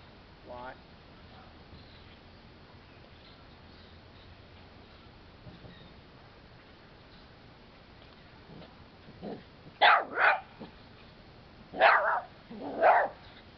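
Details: Two dogs playing with a red-eared slider turtle: a brief whine near the start, then quiet, then two pairs of sharp, loud barks in quick succession toward the end.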